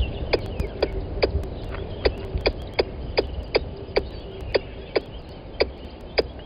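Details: A squirrel close to the microphone at Gowrie dam waterhole, Djuma Game Reserve, Sabi Sand, South Africa, at 10:41 on 12/09/20, gives sharp, clicking chips repeated steadily about twice a second.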